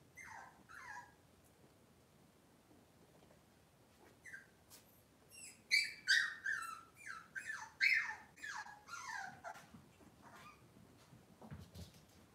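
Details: Cavalier King Charles Spaniel puppies on an indoor kitchen cam on a cloudy Monday morning: a burst of high, thin whimpers and yips, each sliding downward, coming in quick irregular runs and fading out near the end.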